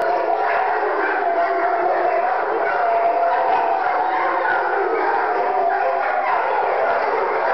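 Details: Several pet dogs howl in chorus, one having set off the rest; layered wavering howls continue steadily, with a human voice possibly mixed into the din.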